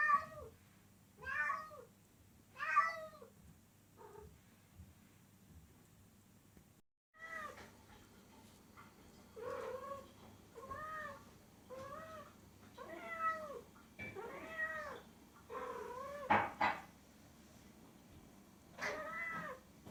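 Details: Domestic cat meowing in rapid succession, short arching calls, a brief pause, then a long run of meows and squeaky trills, some clipped and abrupt, over a low electrical hum.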